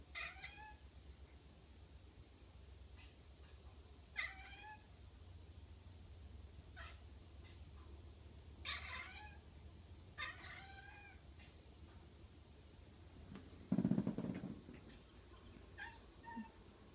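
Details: Cat at a window, watching something outside, making weird noises: quiet, short, bright chirping meows in small bursts of two or three, repeated every few seconds, with a low steady hum and a person talking softly to it.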